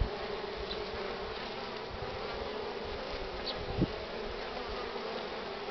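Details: Crowding honey bees at a hive entrance, heavily laden, sunny yet chilly morning, 24 March 2019, 9:45; steady droning buzz of a mass of bees with one short tap near the end.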